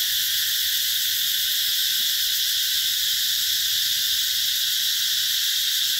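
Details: A continuous high-pitched buzzing chorus of cicadas fills a Mekong Delta garden at Mỹ Luôn, Vietnam, in summer 2021. The hiss holds level throughout, with faint low rustles beneath.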